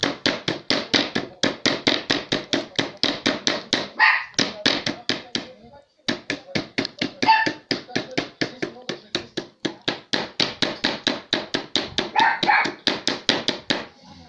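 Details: Toy poodle guarding the home, reacting to knocking on the door: rapid, high, sharp barks repeated several times a second in a long unbroken run, briefly pausing once, with a few voice sounds mixed in.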